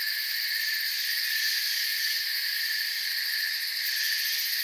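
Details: Steady chirping of crickets in a forest setting, a thick high insect drone with layered pitches and slight rapid trilling on top, unchanging level for under five seconds.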